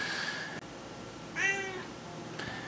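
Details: Female pet domestic cat heard indoors while her owner speaks; one short harmonic meow of about half a second, fairly faint, with a man's voice before and after it in a small room.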